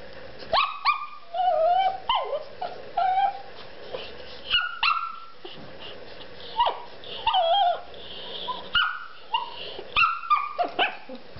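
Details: A female Shih Tzu at play, enjoying being teased, lets out high-pitched barks and yips, some sliding into whines, in short clusters every second or two with brief pauses between.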